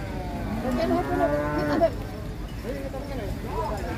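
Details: Cattle being unloaded from a truck at a cattle contest in Indonesia; a long harmonic moo sweeps and then falls away over about a second, followed by shorter wavering calls, with music and vehicle noise behind.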